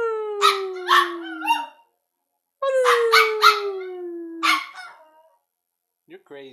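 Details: A pet Pomeranian, howling only in response to his name, gives two long, steadily falling howls of almost two seconds each, overlapped by people's voices calling out.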